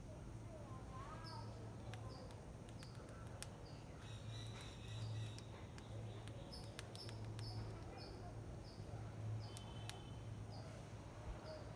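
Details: A hungry squirrel eating rice gives short, high chirps repeated at a steady quick pace over a low background hum.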